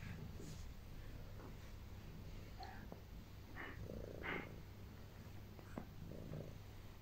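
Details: Domestic cat kneading her owner before settling down to rest on her; a steady low rumbling purr runs throughout, with faint rustling and soft handling noises on top.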